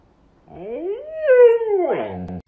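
A Siberian Husky gives a short, rising then falling howl that ends in a wavering, yodel-like break.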